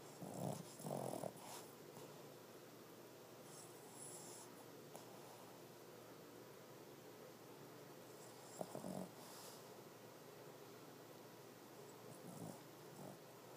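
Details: A female Boston Terrier snores in a few loud, rasping snorts during a nap, with quiet breathing between them.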